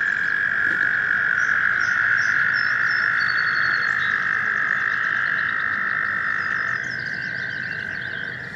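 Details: American toads gathered in a stream in spring to find mates give a long, steady, musical trill, a high humming buzz that holds without a break.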